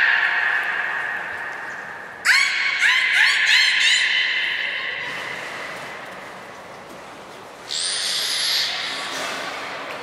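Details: Beluga named Nana during a training session at Port of Nagoya Public Aquarium, 13 April 2019: a steady tonal whine, then a burst of pulsed, harmonic squeaks, and later a bright, high hissing whistle, all in a reverberant indoor space.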